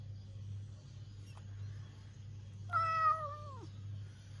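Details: Domestic cat during a big fight with its owner: one long, drawn-out meow that holds steady and then slides down at the end, over a constant low electrical hum.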